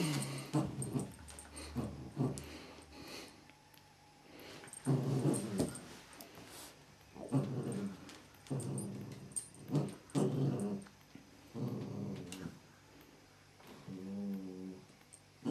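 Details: Border Collie and Whippet playing tug-of-war, low rumbling growls in bursts through the clip, some pulsing, separated by brief quieter gaps; a soft voice murmurs near the end.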